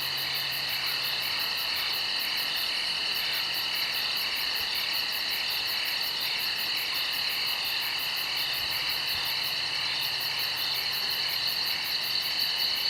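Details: Nighttime insect chorus in the woods: unbroken high-pitched buzzing in several layers, with a rapid top pulse that briefly drops out twice, and a faint low hum underneath.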